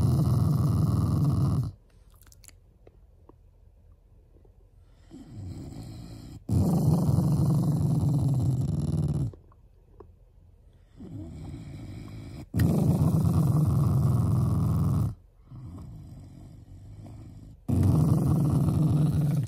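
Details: Affectionate pet Shiba Inu, not angry, growling at its family: low, throaty rumbles in long bursts of about three seconds, separated by quieter gaps with faint breathing.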